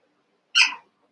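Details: Cavalier King Charles Spaniel puppy, one of eight young pups wrestling and playing together in a pen, gives a single short, sharp, high yelp that fades quickly, with near silence around it.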